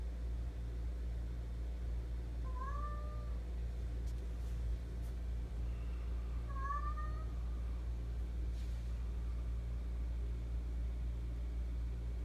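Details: Attention-seeking pet cat that won't stop vocalising: two clear, wavering meows about four seconds apart, each rising then sliding down, against a constant low-pitched background hum and a few faint clicks.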